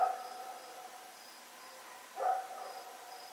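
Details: Rex, a dog, running around at night at Pyrga on 7 October 2018, gives a sharp single bark at the start and another about two seconds later, with steady cricket chirping behind.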